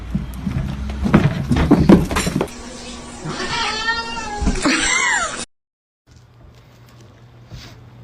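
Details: House cat from a funny cat moments montage, with a wavering, drawn-out meow and a shorter second cry over busy room noise and thumps, ending in a sudden cut to quiet hum.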